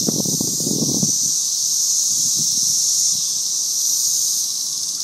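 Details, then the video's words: Cicada swarm sustaining a steady, piercing hiss-like buzz from start to finish, with a burst of low rumbling noise during the first second and scattered soft low thuds afterward. "cicada swarm"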